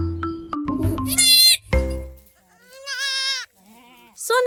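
A goat kid bleats once in a wavering, nasal tone, then calls again briefly near the end. Upbeat music plays at the start, and a spoken voice is heard between the calls.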